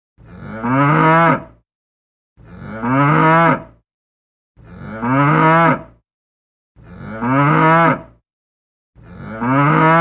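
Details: A cow (Bos taurus) gives low, drawn-out moos, each lasting over a second and repeating about every two seconds.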